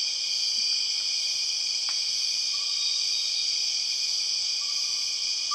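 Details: {'caption': 'Empress cicada, the largest cicada species, droning in Borneo jungle: continuous piercing metallic hum at constant loudness. Faint short whistled notes and a sharp click sit underneath.'}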